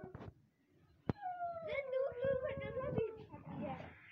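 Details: A short howl from Siberian Husky puppies in Lahore, Pakistan: a clear tone holding roughly level for two seconds before fading, overlapped by people chattering and a sharp knock just before it starts.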